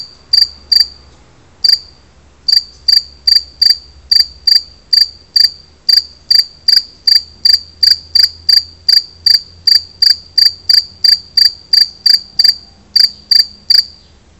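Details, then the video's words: Steady chirping song of a two-spotted cricket, Gryllus bimaculatus: loud, clipped high-pitched pulses repeated about two or three times per second, a brief pause early on, otherwise a regular run over quiet low hum. "Gryllus bimaculatus (canto)"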